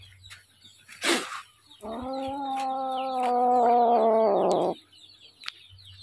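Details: Little kitten, hungry, after a brief rustle lets out one long, steady, even-pitched cry lasting nearly three seconds that grows harsher and louder toward its close.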